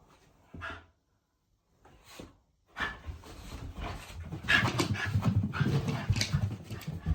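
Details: Haru, a female Shiba Inu living in the countryside, excited and happy that her brother is staying over; brief soft sounds, then steady rapid panting with breathy bursts and small vocal noises indoors.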